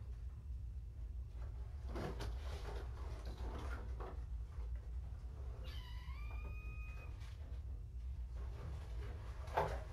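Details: Kitten from a litter found abandoned in a box next to a road, heard during a weigh-in session: one drawn-out meow near the sixth second, rising briefly then held level, over a steady low rumble with soft rustles and knocks.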